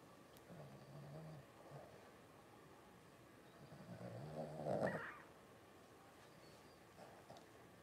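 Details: Twelve-day-old Blenheim Cavalier King Charles Spaniel puppies from a litter of five, born around New Year's 2023. Low droning grunts build into a louder, rising whine near the middle, then fade to quiet with faint murmurs.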